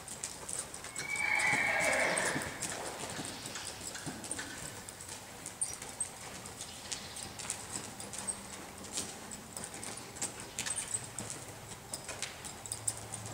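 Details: A three-year-old Appaloosa gelding lets out one loud, high whinny of about a second and a half that falls in pitch. Steady, rhythmic hoofbeats follow at roughly three per second over faint background noise.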